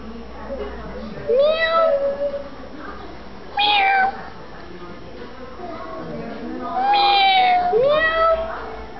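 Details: A grey kitten, one of a litter of five born around 6 April to a stray, gives a series of high, rising-then-falling meows about a week after birth, with a little speech in the background.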